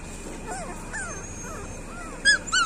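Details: Street dog puppies whimpering: a run of thin, wavering whines that rise and fall in quick succession, with a couple of sharp, high chirps breaking in at the very end.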